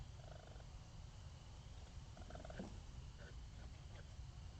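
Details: A raccoon gives a low, steady purring rumble, likened to a cat's purr, with a few brief higher squeaks.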